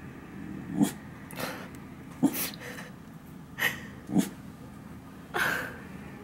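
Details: Dalli, a pet dog, gazing outside from a new spot and barking at passers-by: short, soft, huffing barks that come in uneven bursts about every second or two, with quiet room noise.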